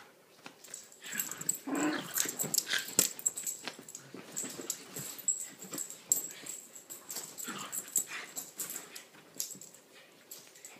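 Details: Indoor play between two little dogs, Lilah the Chiweenie and Minnie the Rat Terrier/Chihuahua cross. Continuous wheezy panting snorts and grumbling growls, with irregular bursts of scuffling and clicking claws throughout.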